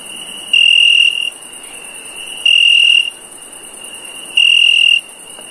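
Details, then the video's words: Three shrill, even chirps from a cricket at night, spaced about two seconds apart, each a flat steady tone, set over a continuous faint high background hum. "Cricket Chirp"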